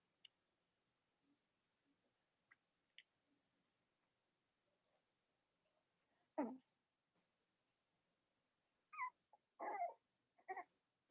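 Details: Cavalier King Charles Spaniel puppies of Robin and Myra, indoors. After a quiet stretch with faint ticks, a short whimper comes, then a run of three or four thin, rising whines and yelps near the end.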